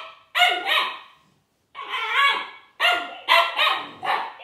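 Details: Little Siberian Husky Juno barking at the toy robot Dash: loud, bright, slightly whiny barks in pairs and triplets, some stretched into short howling notes, with brief silent gaps between bouts.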